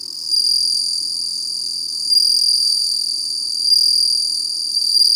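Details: Continuous high, clear ringing trill of a bell cricket, swelling slightly in loudness every second or so, with no other sounds.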